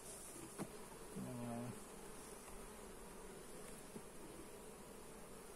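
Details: During a hive inspection, a single honey bee flies close with a short, low droning buzz of about half a second, against faint background hiss and a couple of soft clicks.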